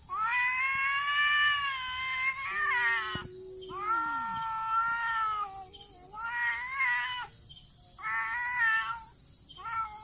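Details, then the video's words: Two domestic cats facing off in a fight without touching, trading long drawn-out wailing yowls, some rising and falling, with a lower growling moan underneath; several howls follow one another over ten seconds, with a steady high hiss of background noise. "Cats Fighting with sound"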